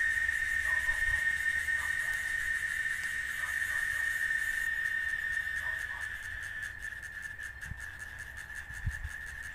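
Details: Chicharra, a cicada, singing in Oaxaca, Mexico: one steady, shrill, unbroken drone held at the same pitch throughout, with faint rapid pulsing in the upper tones near the end and soft low rumble beneath.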